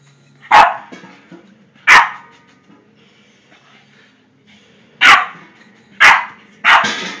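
A Boston terrier gives sharp, short barks, spaced irregularly with brief pauses between them.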